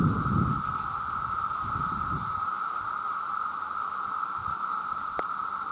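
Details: Male cicadas calling to attract mates in a vast loud chorus: a continuous even-pitched buzzing hum runs throughout, with low rumbling thumps near the start and a single sharp click late on.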